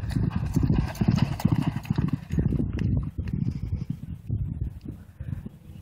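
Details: Thoroughbred race horse working a half mile on a training track at a training center in the United States, heavy low drumming hoofbeats in a fast galloping rhythm, about two strikes per second, fading slightly as the horse passes.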